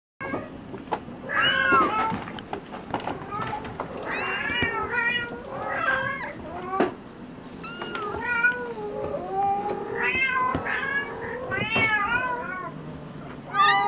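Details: Bengal kittens, brothers born 13 February 2015 at a cattery, wanting their mother rather than food: many overlapping high, arching meows in bursts, some drawn out and wavering, with a person speaking at times.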